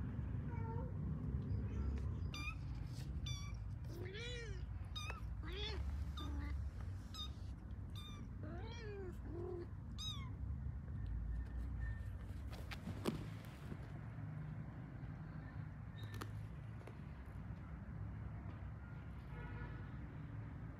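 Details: Pet kittens calling while finding their mother cat: many short, high, arched mewing calls come in quick overlapping bursts through the first half, then thin out, over a steady low rumbling background.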